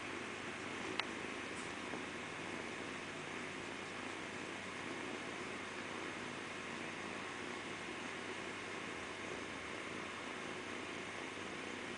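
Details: Steady, quiet broadband hiss like room or camera noise, with one brief sharp click near the one-second mark and no animal voice.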